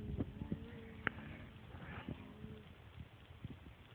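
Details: Jealous pet dog making strange talking noises while its owners pet the cat; low, droning moans with short tonal grumbles near the start and middle, separated by soft thumps and clicks in a quiet room.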